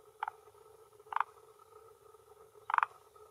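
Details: Late afternoon around 18:10 in early June 2021, a male Rhacophorus arboreus calls with an inflated throat sac on a Japanese hillside pond shore, asserting territory and attracting females. Three brief stuttering clucks, the last loudest, sound over a low continuous hum.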